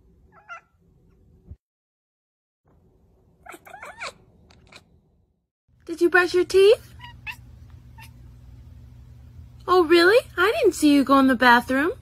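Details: Domestic cat 'talking' with bursts of drawn-out, bending meows in two loud clusters after a quiet opening of faint clicks and murmurs, over a steady low hum.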